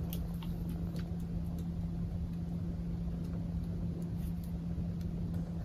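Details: Steady low rumbling purr from Maple the cat, unbroken throughout with a constant hum and occasional soft clicks and rustles.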